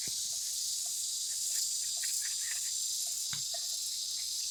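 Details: Cicada chorus: continuous, even, high-pitched buzzing drone without pauses, plus a few faint clicks and a low thump partway through.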